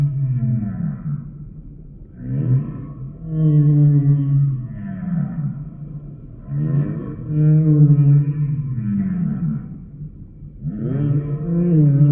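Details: Humpback whale song: a run of loud, low, moaning groans with strong overtones, each roughly one to two seconds long and repeated about every two to three seconds, some sweeping upward at the start, with fainter buzzy upper layers.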